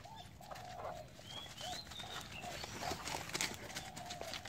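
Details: Tired Cane Corso panting in the cold, breath steaming from its mouth: rapid breathy huffs, roughly three to four per second, uneven in strength, with faint high whistled bird notes in the background.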